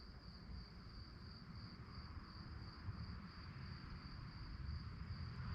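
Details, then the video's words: At night, crickets keep up a continuous high pulsing chirr, partly softened by dense low rumbling noise throughout. "relaxing sounds of crickets"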